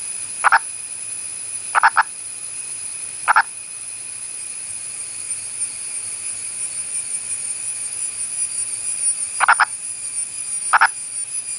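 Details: An Indian purple frog (Nasikabatrachus sahyadrensis) of India's Western Ghats calls with brief, hollow clucks, some single and some in quick pairs, spaced a second or several apart, over a constant high-pitched insect drone.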